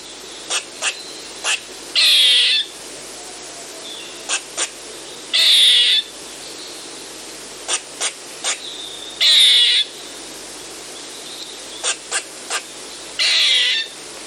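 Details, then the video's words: Eastern gray squirrel calling: short sharp chucks in clusters of two or three alternate with loud, harsh, buzzy bursts about half a second long, the pattern cycling roughly every three to four seconds over a faint steady hiss. "Eastern Gray Squirrel Call"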